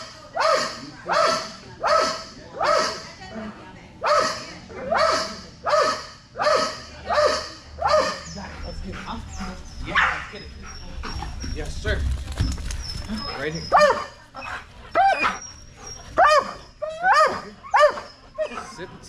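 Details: Strider, a Belgian Malinois at dock diving practice for Fetch-It (Air Retrieve), barks steadily about twice a second, then the rhythm breaks up into mixed yips and barks while a handler's voice praises him.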